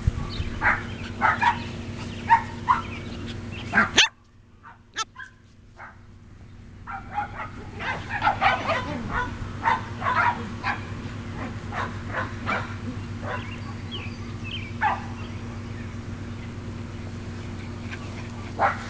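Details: Sheltie puppies aged 7.5 weeks play in a garden with shelties and Sheltie-Cocker mixes, May 2012; a busy chorus of overlapping yips and barks, a brief near-silent gap, then dense yapping resumes and thins out.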